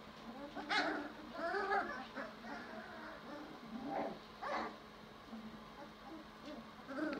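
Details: Five-week-old German Shorthaired Pointer puppies from a champion bloodline give high, thin whines and squeaky yelps in short scattered bursts, several overlapping, against a faint steady hiss.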